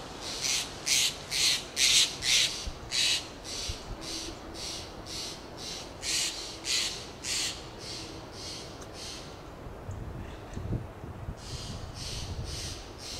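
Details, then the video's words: A fox squirrel on a Monterey pine in Del Monte Forest, California, gives a run of rasping, breathy lip calls, about two each second. "Fox squirrel makes lip "calls""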